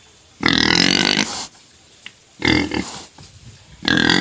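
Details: Pet pig crying for food before being fed sugar cane, loud harsh squeals in three bursts of about a second each, separated by quiet gaps.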